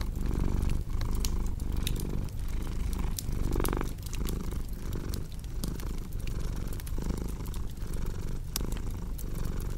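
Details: Domestic cat purring steadily, a low rumbling drone that swells and fades with each breath roughly every 0.8 seconds, over sharp crackling and popping from a cozy fireplace.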